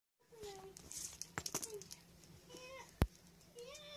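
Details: Indoors on a December 2018 morning, an Abyssinian cat seeking affection from its owner (the dad) gives short, tonal meows that glide up and down.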